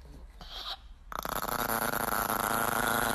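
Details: Asked to "do a motorcycle," a Chihuahua makes a rapid, rattling growl-like rumble that sounds like a motorcycle engine revving.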